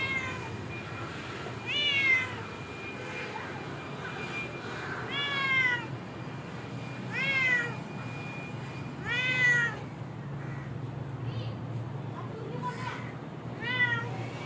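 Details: Domestic cat meowing repeatedly: six clear, harmonic meows that rise briefly then slide down in pitch, spaced irregularly about two to three seconds apart, over a steady low background hum.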